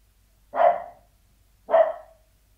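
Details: Sealyham Terrier barking behind a door indoors: two short, sharp mid-pitched barks about a second apart, each with a brief fading tail, over a faint low hum.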